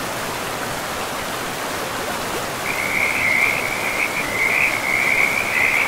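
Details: Frogs by a river in a pristine, moss-covered forest. After a quiet start, a steady high trilling chorus begins partway through and runs to the end, layered over a constant broad rush of flowing river water.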